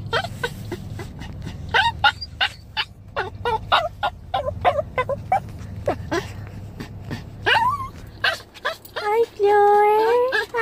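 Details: Crying Chihuahua, aged seven, calling for his dog mom like a puppy: dense, irregular high yelps, ending in longer drawn-out rising whines, over a low constant hum.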